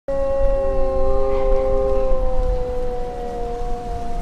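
A Siberian Husky howls in long, steady tones that slowly drop in pitch, with a second voice joining.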